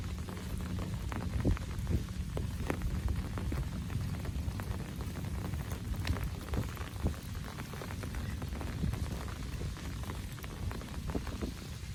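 Steady rain patters and crackles over a low watery rumble, with no animal voices standing out.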